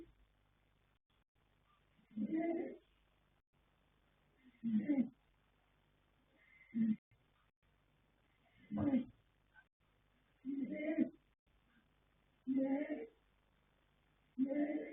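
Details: Yanta, a young colt foal by Fast Force out of Pink Blossom, snores in his sleep: seven throaty, raspy breaths recurring about every two seconds, with a low background hum.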